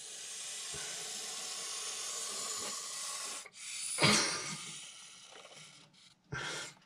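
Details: Nervous Montpellier snake (Malpolon monspessulanus) hissing in defensive reaction to threat: sustained breathy hiss for about three seconds, then short bursts and a louder puff, with handling noises.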